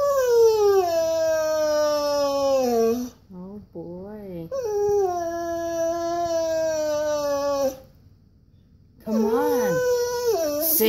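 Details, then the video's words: Koa, a Siberian Husky indoors, wanting to go on a walk: long sustained whining howls sliding slowly downward, broken by short wavering whimpers, with a person's voice urging him to sing. "Koa the Husky, whining and complaining!"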